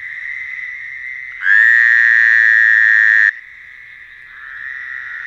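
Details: Night-time frog calling: a continuous buzzy chorus with one close frog breaking in loudly for almost two seconds in a sustained, harsh, even tone, then fading back to the steady background drone.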